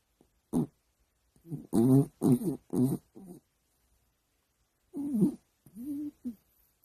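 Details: Sleeping dog snoring loudly indoors: a run of short, throaty grunting snorts and choking rasps, wavering in pitch, in two bursts separated by a couple of seconds of silence.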